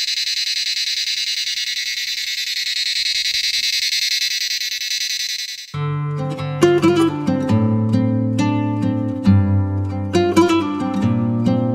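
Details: A steady high hiss fills the first few seconds, then plucked acoustic guitar music takes over. No animal sound can be picked out.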